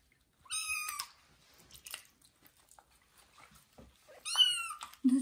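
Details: Kitten during its first bath in a small bathroom, two clear meows about three and a half seconds apart, each a bright, harmonic cry with a slight downward bend, with faint rustling between.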